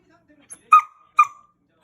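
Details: Bella, a six-month-old female rough collie, angry and barking at night indoors. Two short, sharp, high barks come about half a second apart. A quiet room surrounds them.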